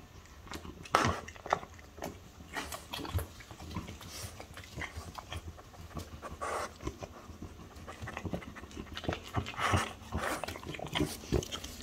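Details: French Bulldog mother Ume, five, and daughter Roku, four, eating chicken breast: rapid wet panting and snuffling breaths repeating unevenly, mixed with chewing clicks and soft handling sounds.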